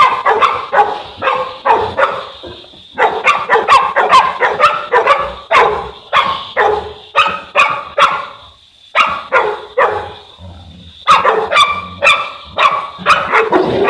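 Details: Boerboel, or South African Mastiff, one of a pair of dogs living in Egypt, barking in quick bursts of deep, rough barks, several per second, broken by short pauses, with a steady high background hum.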